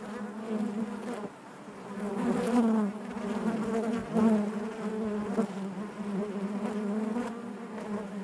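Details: Dense, even buzzing of a honey bee colony in its hive, a low vibrating hum that dips briefly then swells again, with a few louder wingbeat buzzes standing out.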